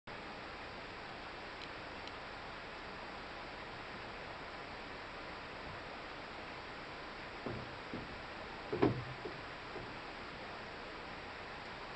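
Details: Steady broadband hiss with a few faint clicks and knocks, and no animal voice.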